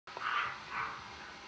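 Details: Male Golden Retriever puppy, home-raised, giving two soft, muffled yelps about half a second apart, indoors in a small room with faint background hiss.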